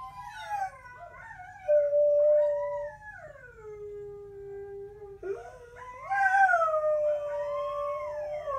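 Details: Howling by the dogs Coda and Diesel: a sustained steady note, then a long descending glide, followed by a fresh higher onset where two voices waver and weave together.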